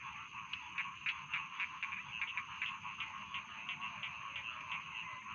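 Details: Many rice field frogs calling at once, quick irregular croaking pulses over a steady humming chorus background.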